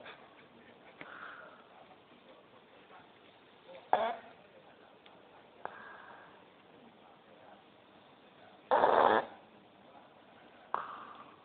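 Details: A pet dog snoring while asleep, recorded on a mobile phone; rough snorts and wheezy breaths recur every two to three seconds, one loud burst near the end, over quiet room hiss.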